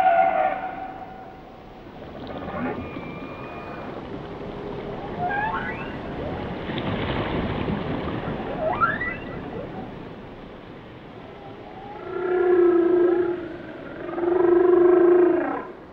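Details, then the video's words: Whale song phrases: short rising whoops in the middle, then two loud, drawn-out harmonic moans about two seconds apart near the end, set against steady ocean hiss. "Song of the Whales"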